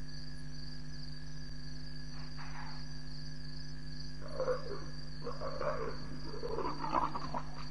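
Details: Leopard at night around 12:30 a.m. on 7 May 2017 at Djuma Game Reserve, one of two leopards present. A brief rasp is followed by a dense burst of rough, growling sounds over steady insect buzz and a constant low hum.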